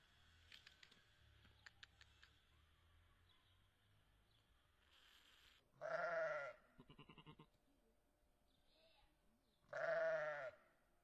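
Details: Ewe with her lamb, Draa: two loud, wavering, harmonic bleats about four seconds apart, with quieter stuttering calls between them and faint clicks and rustling before.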